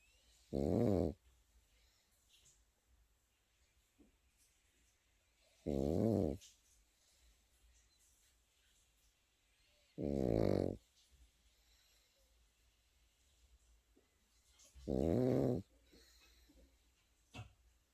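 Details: Pekingese puppy sleeping and snoring steadily, four rumbling, fluttering snores each under a second, coming about every four to five seconds, with little else audible.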